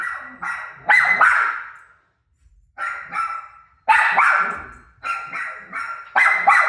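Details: Indoors, the dog Rosie is barking at her own recorded barking playing on a television. Loud, resonant barks come in quick doubles and triples, with one silent gap near the middle and reverberant decay after each burst.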